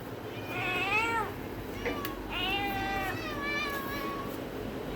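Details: Village cat meowing, several drawn-out wavering meows rising then falling in pitch, one after another over a few seconds, with a faint steady background hum.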